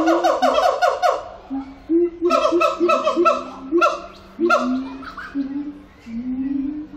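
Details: Siamang (Symphalangus syndactylus) singing at Zoo Antwerpen: loud harmonic whoops rising in steady ladders, then a run of rapid barking hoots and rising booms, with a faint low hum beneath.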